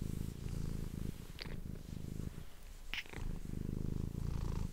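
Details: Close-miked purring of a domestic cat, made for ASMR: deep, pulsing rumble rising and falling in phrases of a second or two, separated by short gaps and a couple of light clicks.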